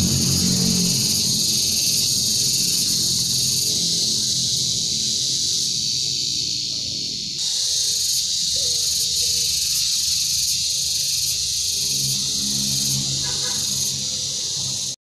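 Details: Cicadas drone in a steady, high, hissing chorus that barely wavers throughout, in sunny weather at a beekeeping area.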